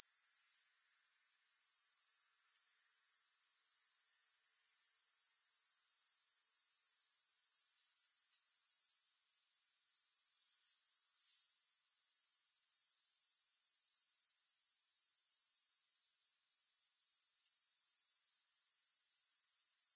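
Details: Grasshoppers in a long, music-free sleep recording: a very high, steady, shimmering trill of rapid even pulses, about four per second, broken by short silent gaps near one, nine and sixteen seconds before resuming.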